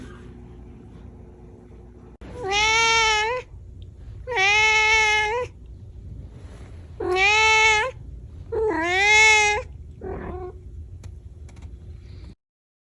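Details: A kitten gives four loud, drawn-out meows about two seconds apart, each rising then dipping, then a short soft mew, with a steady background hum.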